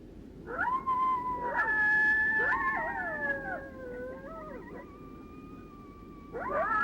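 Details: Two or three coyotes howling together in a group howl, each giving lone howls: long, sustained tones overlapping and sliding slowly downward, with voices entering and dropping out, and a fresh rising howl starting near the end.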